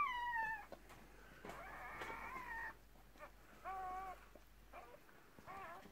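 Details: Thin, whining cries from newborn Cardigan Welsh Corgi puppies, part of a first litter of six delivered by a red merle mother in 2018. A long drawn-out wail is followed by short bent squeaks over a low background hum.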